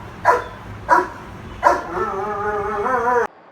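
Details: Frustrated domestic dog held back as the owner leaves, giving an angry bark: three short barks about two-thirds of a second apart, then a long, wavering, tonal whine that cuts off abruptly.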